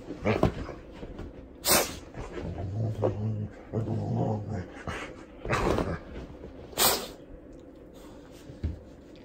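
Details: A seven-year-old female Golden Retriever in a bathrobe is washed with dog soap. Low, droning grumbles run steadily for about two seconds, and sharp splashes and rubbing noises from the bathing come at intervals.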